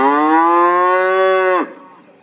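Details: A cow gives one loud, steady moo lasting about one and a half seconds, then cuts off sharply, leaving a faint quiet tail.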